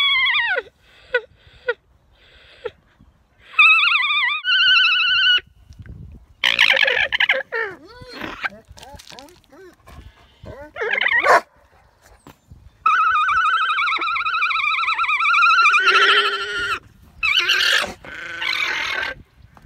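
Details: Female alpaca on a County Kilkenny farm in Ireland keeps up her opera-like singing: bursts of warbling, high-pitched wavering tones alternate with a woman speaking and laughing between the calls.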